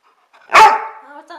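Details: A pet dog playing fetch with a toy gives a single sharp, loud bark that trails off into a fading, tonal whine.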